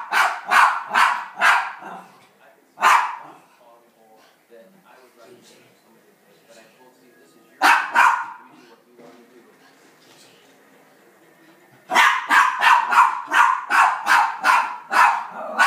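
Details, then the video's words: Rat terrier at home reacting to an elk hunt on TV, giving rapid strings of sharp barks, pausing while faint television sound and a person's voice are heard, then a fast volley of eight barks. "My rat terrier Sam watching hunting Elk on TV."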